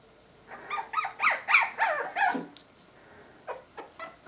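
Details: Rescued Boston Terrier and Pit Bull mix puppy letting out a quick series of five or six bent, squealing yelps, rising then falling in pitch, followed by a few short, softer yips.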